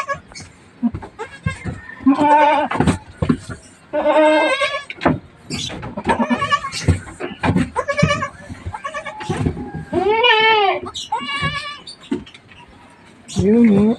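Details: Goat that has just given birth, among newborn kids, two males and one female, on a farm in the Philippines: several wavering, harmonic bleats rising and falling, interleaved with people talking and laughing close by.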